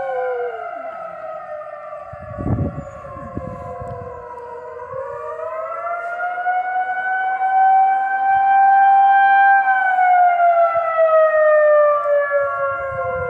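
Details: Freckles, a dog that takes to howling like a hound about once a month, holds a long wavering howl with stacked harmonics, sliding up midway and easing back down, with a few thumps and a person's voice near the start.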